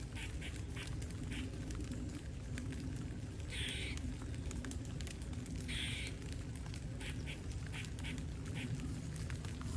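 A squirrel gives harsh, raspy bursts and short clicking chips over a steady low rumble.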